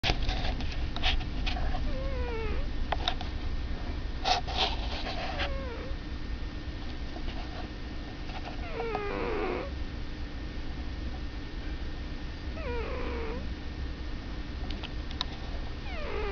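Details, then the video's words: Pet cat snoring indoors: deep steady low rumble throughout, broken by short squeaky descending whines on some breaths at uneven intervals, with faint clicks in between. "My kitty snores"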